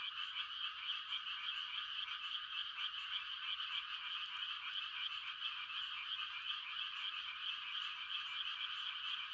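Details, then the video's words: A steady chorus of many frogs calling to mate on a quiet rural night in Korea in rice-planting season, an unbroken wall of fast, high, buzzing trills with no other sounds. "The sound of frogs on a quiet country night"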